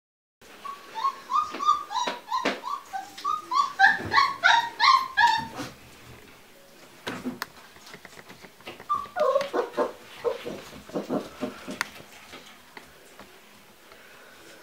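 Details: Giant Schnauzer at a wind farm giving a run of high, tonal whining yelps, wavering up and down in quick succession, then a pause and a second shorter burst of whines, with faint background rustling.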